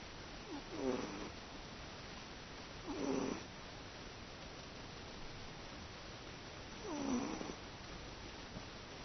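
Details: Teto, a domestic cat sleeping peacefully indoors, snores in short low rasping bursts, three snores spaced roughly every two to four seconds, each with a brief breathy rise, room otherwise quiet.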